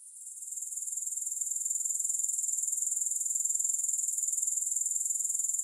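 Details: Grasshoppers producing a high, hissing insect trill made of rapid regular pulses, fading in over the first second and then holding steady, with no music or other sounds.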